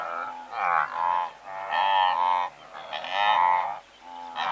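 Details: Herd of several hundred blue wildebeest heard close up, with loud drawn-out nasal honks about a second long, separated by short quieter gaps, and several voices overlapping in a dense chorus.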